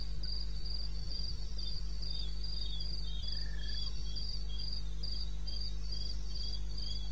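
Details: Crickets calling in the wilderness of eastern Botswana at 2:30 am, recorded 21 May 16: high, evenly spaced chirps pulse steadily, with a second fainter chirping layer just below and a steady low hum underneath.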